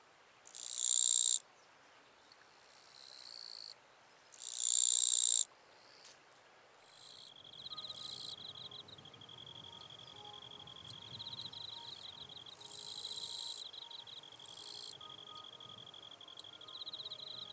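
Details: Wild eastern Japanese katydid in northern Miyagi, Japan, recorded 22–23 August 2024, possibly an unusual population close in form to the western katydid: two loud, harsh, high buzzing bursts about a second long, then a thin continuous high trill with fainter buzzes.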